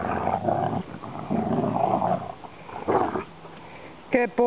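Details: A brother and sister Rottweiler play fight over a rope. Rumbling guttural growls fill the first seconds, then a short higher sound cuts in at the end, with a person's voice nearby.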